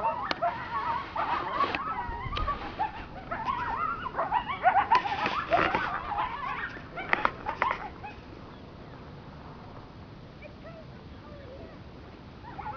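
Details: Large coyote pack in Arizona's Sonoran Desert, running nearby: dense overlapping yips and quavering howls for about eight seconds, then fading to quiet background hiss.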